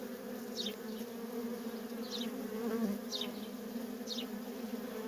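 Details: At a feral colony, worker honey bees keep up a constant droning buzz with a low hum and a brighter overtone. Short high-pitched descending chirps sound roughly once per second over the drone.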